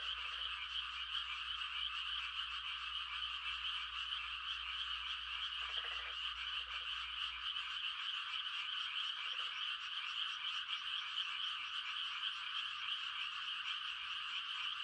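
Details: Many frogs sing mating calls through a quiet rural night, a steady high trilling wall of sound punctuated by several short, deeper rattling croaks scattered through the first half.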